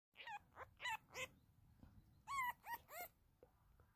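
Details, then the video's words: A female gray fox kit gives short, high, whiny squeaks in quick bursts of three or four while playing with a Siamese cat. "Petunia our new gray fox kit"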